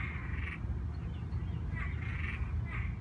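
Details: Male Cuban treefrog, an invasive species in Gainesville, Florida, singing in the background during mating after heavy tropical-storm rains; raspy, snoring bursts come in short groups against strong low rumbling handling and wind noise.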